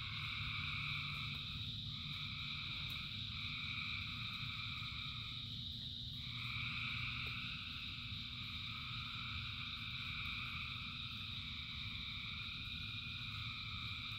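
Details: Frogs calling in rain: a massed chorus of thousands holds steady high buzzing tones that shift and dip briefly around the middle, with rain hissing and rumbling low underneath throughout.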